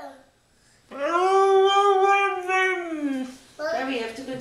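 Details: Female Siberian Husky singing indoors after grooming: silence, then a drawn-out wavering howl for about two and a half seconds, dropping at the end, followed by a second shorter howl; a woman's voice is heard at the start.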